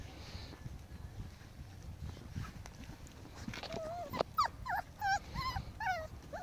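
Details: Five-week-old Pomsky and Husky puppies playing together: after quiet rustling, a rapid series of high wavering whines and yips breaks out over the last two seconds.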